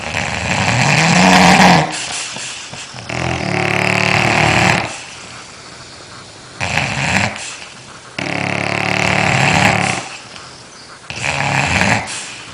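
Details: Sleeping dog snoring loudly: rough, rasping breaths in long bursts of about two seconds, separated by quieter pauses, repeating five times in a steady rhythm.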